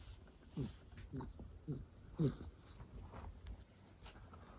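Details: Female Miniature Dachshund, born June 2010, asleep indoors on her owner's lap, snoring: short, low, soft snorts repeating roughly every half second, with faint room hiss behind.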